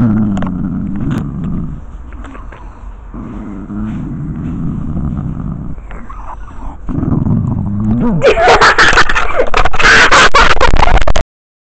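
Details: Lucy, a grumpy 14-year-old pet dog, growls at a camera held right next to her face: low rumbling growls in bursts, pausing briefly, then a loud harsh noisy lunge near the end before sudden silence.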